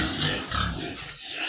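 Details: Sows squeal and grunt during injections on a day of nonstop rain: short, rough, noisy cries with low grunting underneath that fade near the end, with rainfall constant throughout.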